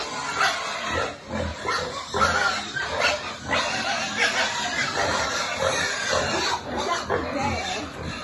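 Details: Farm piglets being fed: a dense, continuous mass of overlapping grunts and short squeals, rising and falling in loudness throughout with no pauses.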